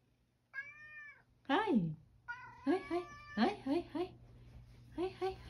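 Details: Male rescue cat eating dry kibble breakfast indoors: a clear arched meow with stacked harmonics near the start, then a lower drawn-out cry and several short chirping meows or chewing-time vocalizations, steady mains hum throughout.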